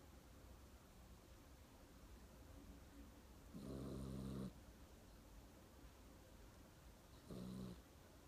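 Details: Sleeping pet dog Mong-i snores twice, a longer rasping, low buzzy breath followed about three seconds later by a shorter one, with faint room hiss between.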